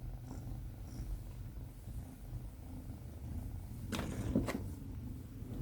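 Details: Binwoo, a female Tonkinese kitten on her first day home, purring: a soft, low rumbling hum throughout, with a brief burst of rustling handling noise midway.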